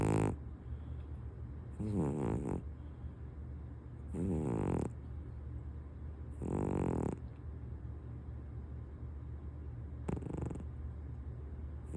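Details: Housecat Punk asleep on its owner's lap atop a kotatsu quilt, snoring more softly: four low, wheezy, buzzing breaths at uneven gaps of two to four seconds, the last one brief.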